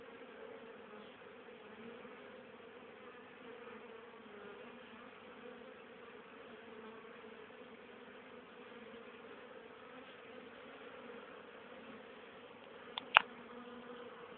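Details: On 10 October, still very active for the time of year, honey bees bringing home pollen and nectar for winter stores give a steady, droning hum of many wings, with a single sharp click near the end.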